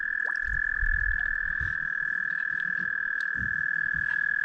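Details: In spring at a wilderness lake, about thirty toads mating in the water give a steady, high, unbroken trill.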